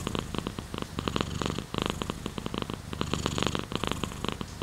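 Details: Close purring of a pet cat, a deep vibrating drone that swells and fades with each breath, with rapid fine pulsing and brief gaps.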